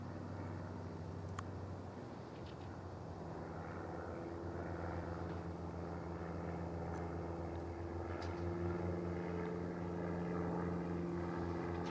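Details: A steady low drone of an aircraft or vehicle engine fills the scene, with no animal voices.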